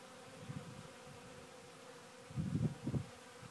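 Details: Honey bees working a sawdust pile give a steady low hum throughout, broken by brief deeper rumbling bursts near the end.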